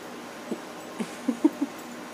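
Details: Beans, a female Whippet indoors with a light bandage over a small sore on her wrist pad, playing up the injury dramatically; soft, short, low whimpering squeaks, four or five brief notes rising in strength toward the end.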